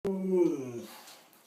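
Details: Siberian Husky indoors by a bathroom door, following its owner and 'talking': one drawn-out harmonic moan-like vocalization lasting under a second, starting with a sharp onset then sliding slightly downward and fading.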